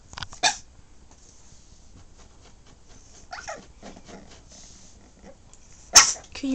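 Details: Playful puppy giving two sharp, short yaps about five seconds apart, with a person talking softly and coaxing it to speak between them; otherwise quiet indoors.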